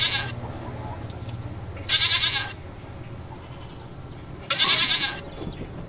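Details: On a goat farm, a goat gives harsh, wavering bleats in short bursts, a few seconds apart, during mating.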